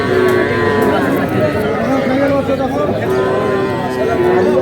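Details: Cattle, young bulls and heifer calves, being bought at a market near Dhaka, Bangladesh, on 4 February; drawn-out lowing moos repeat over a loud crowd murmur with men talking and haggling.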